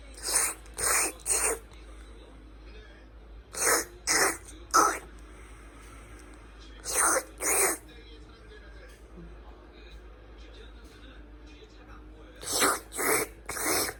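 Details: A cat making a strange sound while grooming: short, breathy, rasping bursts like throat-clearing, delivered in quick sets of three about every three to four seconds, with quiet pauses between.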